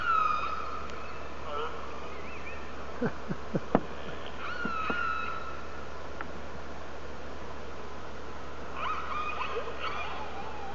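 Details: Orcas talking to each other, recorded by hydrophone from a whale-watching boat out of Telegraph Cove, British Columbia, give drawn-out, wavering underwater whistles and a burst of sharp clicks against a steady low hiss.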